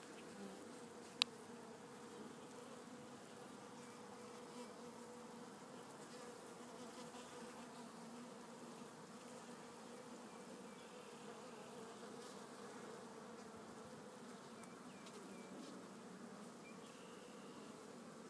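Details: Italian honey bees in a new hive with an Italian queen installed March 30, 2013, recorded April 27, 2013 among capped brood and larvae; a steady, low, droning colony hum throughout, with one sharp click near the start.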